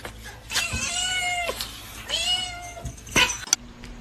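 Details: Domestic cat meowing amid a cat fight, two drawn-out, nasal meows about a second each, rising then falling, followed by a sharp bump and room noise.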